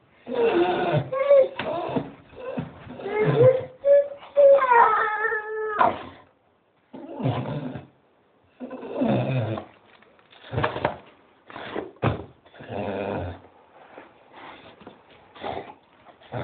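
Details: Staffie waiting for a walk while a Doberman joins in: a long run of whiny, yowling dog noises, with wavering, rising and falling moans in the first half, then shorter grumbling yelps broken by gaps.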